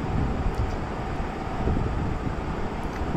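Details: Steady low rumbling wind or engine-like noise fills the recording, with no animal sound present.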